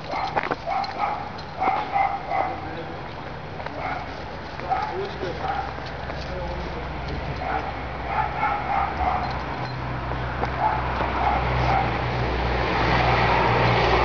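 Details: A Dachshund tracking a cat in the courtyard of a service station gives short, high, excited yips and whines in quick bursts over a low rumble.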